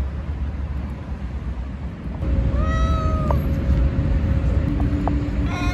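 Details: Stray cat meowing: a single clear, level, nasal meow lasting about a second, then a few short faint squeaks, over a constant heavy low rumble like nearby traffic.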